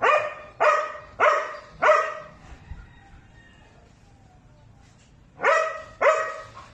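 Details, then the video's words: Gray sable Belgian Malinois, described as very aggressive, barking in loud, harsh bursts: three quick barks in the first two seconds, a quiet gap with faint murmurs, then two more forceful barks near the end. "A very aggressive Gray Sable Belgian Malinois"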